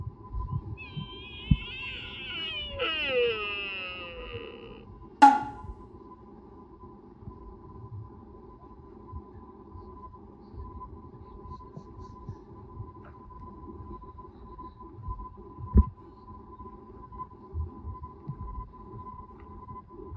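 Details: Sika deer in Nara Park, Japan, during the mating season: a drawn-out harmonic moan that wavers and then slides downward over several seconds. A sharp knock follows, then scattered low rumbles and a steady faint tone.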